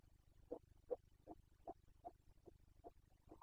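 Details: Carpathian red deer stag during the 2021 breeding season, rut calling known in Romanian as boncănit: a faint run of about eight short, harsh grunts, each roughly 0.4 seconds apart, over a low steady background hum.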